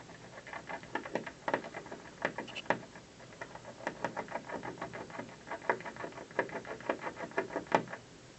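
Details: A squirrel chews at an office building from a windowsill one afternoon. Bursts of crisp, rasping gnaws come in irregular clusters throughout, with brief pauses between bouts.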